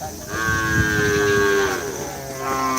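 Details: Racing cattle resting between karapan sapi races at Asemanis, Pamekasan, on Madura in East Java, Indonesia, give one long steady moo of about one and a half seconds, over background chatter and outdoor hubbub.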